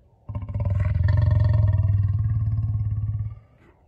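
A lion gives a deep, rumbling purr, a low pulsing drone held steadily for about three seconds.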